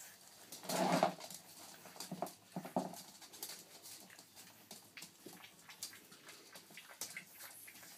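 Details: Boston Terrier puppies in a unified play attack indoors: one loud yelping burst near the start, a couple of softer yips after it, then scuffling and clicking noises.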